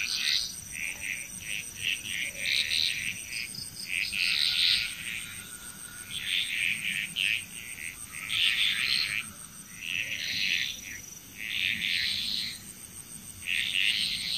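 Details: Chorusing frogs in Bali, Indonesia give repeated clusters of quick rattling pulses every couple of seconds, with brief lulls between bouts and a continuous high-pitched insect drone in the background.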